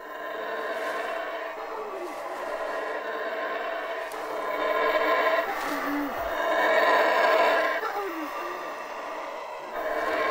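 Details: Howler monkey group calling in the jungle canopy, a territorial war cry that keeps rivals away: loud, rough, roaring chorus of overlapping voices swelling and fading over ten seconds, with steady dense harmonics throughout.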